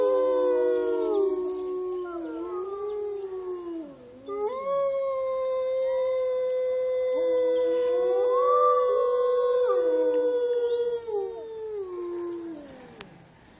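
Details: Several gray wolves at Olomouc, 29 August 2013, howl together in long, sliding, overlapping tones that rise and fall.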